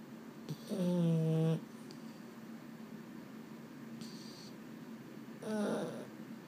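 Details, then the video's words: Restless Boston Terrier at bedtime, one of two males, Mambo and Cub; a long, steady, low groaning moan close to the microphone, then a shorter grumble after a quiet pause, in a small indoor room. "【Boston Terrier】 I can't sleep…"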